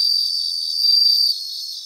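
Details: Bell crickets in a Japanese grassland: a sustained high, pure ringing note lasting just over a second, then dropping away to a softer background of fast insect pulsing.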